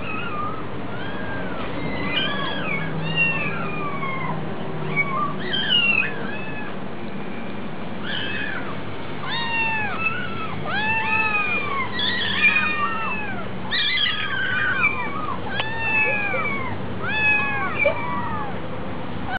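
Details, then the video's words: Hungry kitten at a cat cafe meowing repeatedly: many short, rising-then-falling mewing calls, high and tonal, coming in quick bursts throughout, with several overlapping at times over a low steady background hum. "Kitten so hungry"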